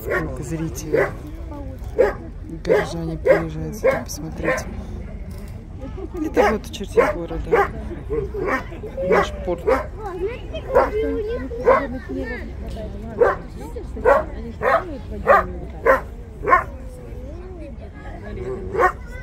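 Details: In a city seaport on 10 April 2022, Steller sea lions keep up a long series of short, harsh, dog-like barks at irregular intervals, some overlapping, with a low background drone.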